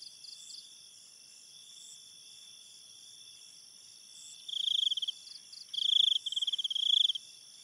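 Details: Night-time cricket in forest ambience near a river: after a quiet start, several loud pulsed trills in quick succession, shrill and high, over a steady background of ringing insect tones.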